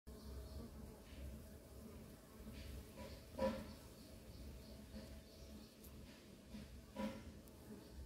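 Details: Dwarf honey bees (Apis florea) in a garden in Bangalore, India, make a steady, low droning hum, with a couple of brief louder knocks.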